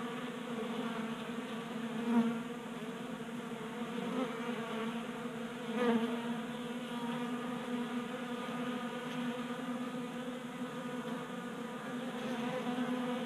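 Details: Garage in Colorado, January, 60 degrees: honey bees feasting at a 3D printed feeder give a continuous droning buzz, swelling briefly every few seconds as individuals fly close.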